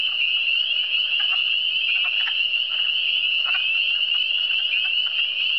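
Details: Frog voices of the Eastern Townships (cantons de l'Est): a steady buzzing high trill from many callers, broken by a few louder, abrupt croaks near the middle and later on.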